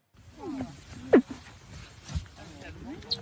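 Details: Grey seal asleep and dreaming, recording studied by Scottish researchers; soft, low gurgling moans with short sweeping whines and occasional sharper clicks, quiet and irregular throughout.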